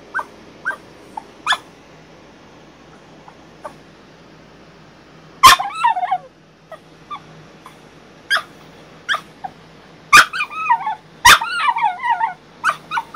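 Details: Bailey, a female Frenchie on strict crate rest ten days after back surgery, protests her crate with scattered soft whimpers, then sudden loud yips followed by quavering, warbling whines, repeated in several bursts.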